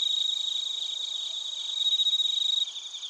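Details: Bell crickets and other crickets chirping in Narita, Chiba Prefecture, Japan, captured on a TASCAM Portacapture X8; several high insects overlap, one giving rapid regular pulses, nearly four per second, over steady shrill ringing tones.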